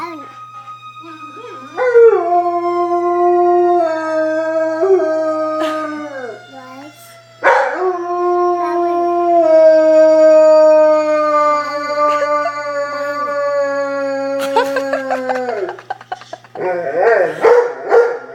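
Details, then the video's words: Black Labrador Retriever howling along to fire trucks: long sustained howls, one sliding up and holding around two seconds in, another steady drawn-out note of about seven seconds, ending in broken yips; a low hum continues beneath. "blacklab howling to fire trucks"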